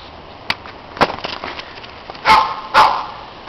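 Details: Neighbours' dogs barking loudly while other dogs play in the snow: two strong harsh barks close together late on, after scattered sharp clicks and thuds.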